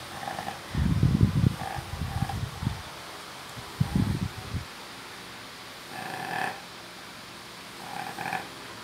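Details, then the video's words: Female Labrador napping and snoring: deep, rumbling, fluttering snore bursts alternating with softer breathy exhalations, spaced a few seconds apart over a quiet room hum. "Labrador roncando cochilo"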